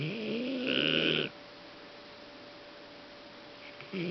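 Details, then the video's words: Sleeping Golden Retriever Fang, exhausted after a show day at INTEX Osaka supporting friend Blau, gives one long loud droning snore lasting over a second, then silence before the next snore begins. "ゴールデンレトリバー ファングのおおいびき"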